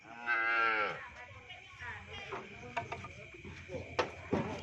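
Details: Madura cow newly bought by its owners gives one loud, sustained, harmonically rich moo lasting about a second, followed by scattered knocks and clatter, with people talking and music in the background.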